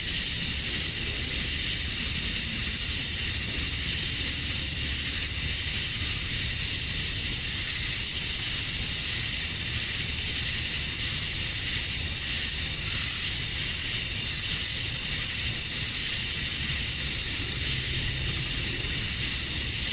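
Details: Georgia, USA, summer evening at dusk, male cicadas calling to attract females: a continuous sizzling high drone with a steady shrill tone above, slight shimmer in intensity, and a low hum underneath.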